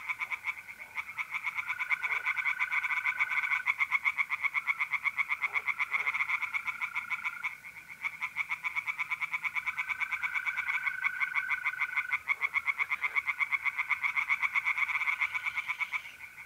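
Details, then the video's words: Night chorus of tree frogs in a pond, mid-April, north-east Italy: fast clicking pulses pour out in long bursts with brief dips, while mole crickets keep up a continuous pure trill underneath. "relaxing singing tree frogs in pond and trilling mole crickets by night"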